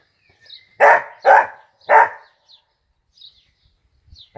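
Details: Pet Dachshund Peanut barking while playing football: three loud, evenly spaced barks about half a second apart, then quiet with faint small sounds.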